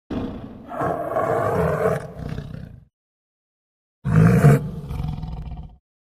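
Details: Tiger growling in two bursts: a long, rough, low rumble of about two seconds, a pause, then a shorter, louder snarling growl with a harsh, noisy top.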